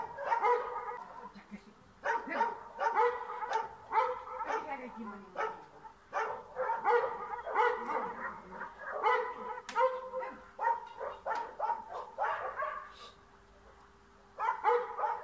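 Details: A dog chasing a cat out of a yard in Bulgaria barks almost without pause in rapid, ringing volleys, then goes briefly quiet near the end before barking loudly again.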